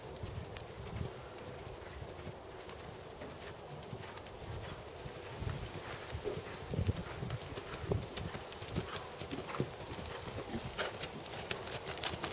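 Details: Black seven-year-old Percheron/Thoroughbred gelding, 16.2 hands, schooled to second level dressage, working under saddle; steady rhythmic hoof falls thud and click through the clip, louder toward the end, over a low background rumble.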